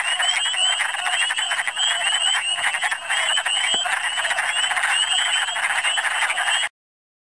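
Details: Wood frogs calling in big numbers during a Michigan spring: a dense, unbroken chorus of overlapping rasping, clucking calls that fills the whole stretch at an even loudness, with no other clear sounds standing out.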